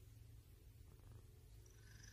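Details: Domestic cat purring close up: a steady, low rumbling drone throughout, with a faint high thin tone near the end.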